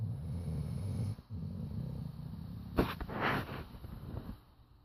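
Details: Charlie, a chocolate Labrador Retriever, snoring while asleep, said to rattle the windows: a low, rumbling snore pulses through the first second, then stops, followed by a sharp knock and rustling movement.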